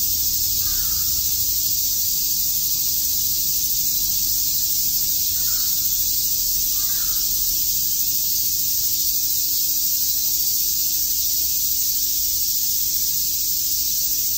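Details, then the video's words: Cicadas chirping on a summer day in Shakujii Park, Tokyo: a dense, unbroken hissing buzz fills the high register throughout, with a few faint short calls of another animal showing near the start and middle. "Cicada chirps"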